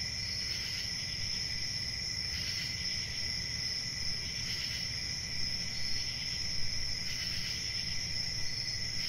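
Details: Shrill, even cricket trilling rings without pause, with rhythmic bursts of slightly louder chirping roughly every two seconds and a noticeable low hum underneath.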